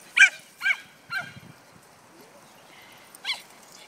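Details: Female dog Cesky in play, loving being chased; three sharp, high-pitched barks in quick succession, then a silent gap before one last bark.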